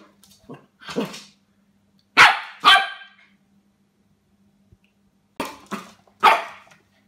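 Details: Pembroke Welsh Corgi puppy named Fletcher wrestling with cups at a new encounter; sharp, high barks and yips in quick pairs and clusters, separated by short silences, with a faint steady hum beneath.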